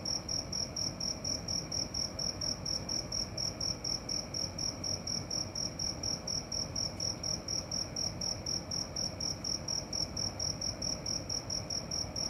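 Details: Cricket singing at night: a high, bright chirp pulsed about four times a second in a steady, unbroken run, over a soft low background hum.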